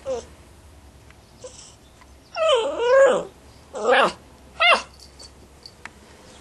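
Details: Two-month-old female Basset Hound puppy, indoors, growing desperate because she is being ignored while filmed: a few drawn-out whiny yelps with wavering pitch, then two short barks, in a small room.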